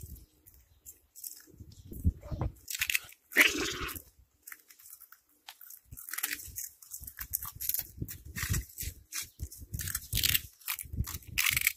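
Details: A cat crunching its food, with sharp crackling bites and brittle snaps in uneven clusters separated by short quiet gaps, including one loud crisp crunch early on.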